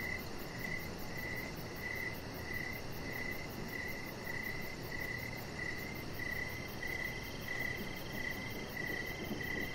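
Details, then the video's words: Crickets call outdoors in the evening by a deck where a chihuahua puppy lies; bright, high pulses come in a quick rhythm of about ninety-five per minute above a steady hiss. "Chihuahua Puppy Laying On Deck with Cricket Sounds"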